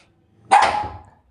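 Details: Single abrupt, harsh bark from a German Spitz, loud at the onset and fading quickly, with a faint low murmur of background noise underneath.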